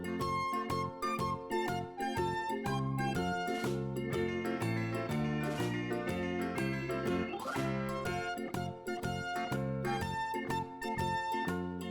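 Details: Bright plucked-string children's music with a steady beat and jingling accents, no animal voice heard.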